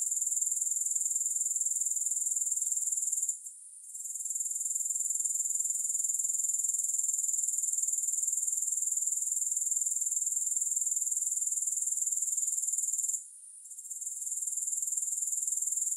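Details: Continuous piercing insect buzz from grasshoppers, recorded with no music for sleep and focus, holding one high pitch throughout. Two short quiet gaps interrupt it, then it resumes at the same level.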